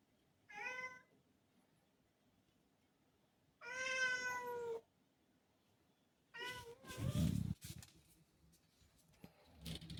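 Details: Black cat Rudy calls to have the door opened, August 2024: three drawn-out meows spaced a few seconds apart, the last one shorter and followed by a dull thump and rustling indoors.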